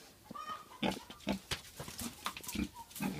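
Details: Domestic pig kept as one of a family's animals, giving short, low, throaty grunts in an irregular series, about two a second, with some higher squeaky and clicking sounds mixed in.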